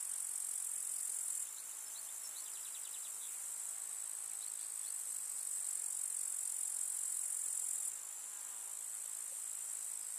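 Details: A summer village meadow full of grasshoppers: an unbroken high-pitched shimmering buzz that drops in loudness twice and returns. Faint rapid clicking pulses appear briefly near the start.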